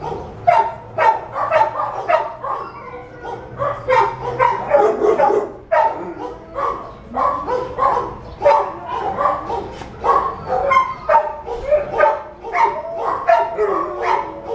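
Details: A spayed female American Staffordshire Terrier, brown and white, about four years old and 68 pounds, at a Los Angeles animal shelter. Loud, rough barks come in rapid bursts, roughly two each second, continuing without a break throughout.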